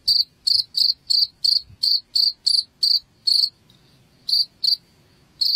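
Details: Cricket chirping used as a rat repellent at home: a run of short, high, pulsed chirps about three per second, breaking off into a brief gap with a faint thin tone, then starting again.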